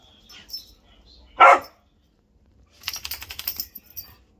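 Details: Whippet boy at play; one sharp loud bark followed after a pause by a rapid run of quieter clicking, scrabbling sounds.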